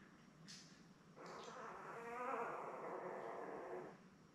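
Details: A Labrador Retriever puppy from Belle's newborn litter of seven, born May 24, 2021, caught on a live puppy cam. A few soft rustles lead into a drawn-out, wavering whine that lasts nearly three seconds, then fades.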